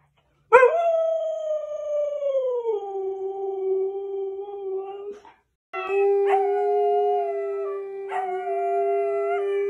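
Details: A Husky lets out a sustained howl. It starts with a sharp onset, glides downward, then settles into a steady, even tone. After a short pause a second long flat howl follows, broken by small yelping accents.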